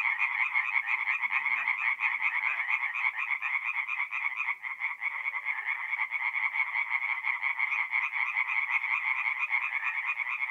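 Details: Massed tree frogs calling after dark from a forest pond in north-east Italy, mid-April; quick repeated croaks blend into a steady, high rattling wall of sound with a brief dip near the middle.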